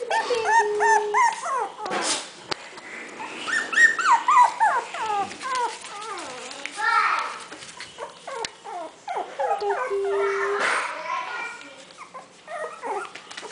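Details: Four-week-old Havanese puppies from the litter of Kisses and Teddy: a busy chorus of high, wavering whimpers and squeaky yips. The calls overlap and tumble over one another in quick, uneven bursts with brief pauses.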